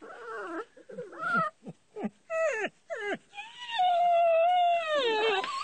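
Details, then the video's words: Bull terrier puppies playing with their mother, who hides on top of the house: a run of short, bent, harmonic yelps, then a long, high, wavering whine that slowly falls in pitch near the end. "crazy puppies scare moma to hid on the house"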